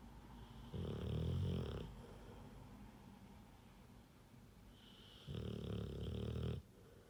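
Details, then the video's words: Rottweiler snoring: two long, low rumbling snores about four seconds apart, each roughly a second and a half, with soft breathing between in a quiet room. "Rottweiler snoring"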